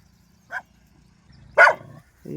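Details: Street dogs driving off wild boars: one short bark, then after about a second a single loud, harsh bark, with a brief low voice at the end.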